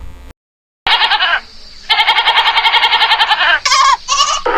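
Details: Goat bleating from a farm animal sound compilation: harsh, quavering bleats with rich harmonics, a short one then a long wavering one, followed by several brief higher bleats in quick succession.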